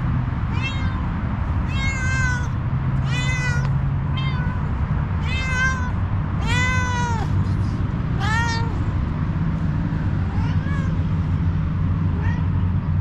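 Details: Kitten among homeless stray cats giving a steady series of cute meows, about eight clear harmonic calls roughly one to two seconds apart, some rising then falling, above a continuous low urban rumble.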